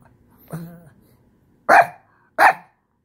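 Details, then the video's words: Shih Tzu upset at having its couch space taken: a short, nasal whine followed by two loud, sharp barks less than a second apart. "Shih tzu throws tantrum...."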